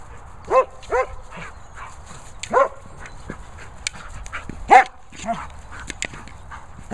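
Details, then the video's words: German Shepherd at play with a boomer ball: scattered short, arched yelping whines, roughly six, irregularly spaced among knocks and clatter from the play and a low steady hum. "German Shepherd Lucy loving the boomer ball."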